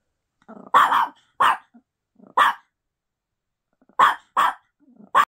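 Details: Tiny puppy acting as a guard dog on duty, indoors, giving short, sharp, high barks in uneven bursts, some in quick pairs, with a woman's voice praising it just before.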